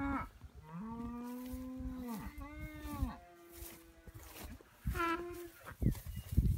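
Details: Braunvieh full blood bull, Swiss Tradition Zorro, lets out a sustained moo lasting about two seconds that swells then drops away, followed by a shorter second bellow, amid low rumbling and knocking sounds.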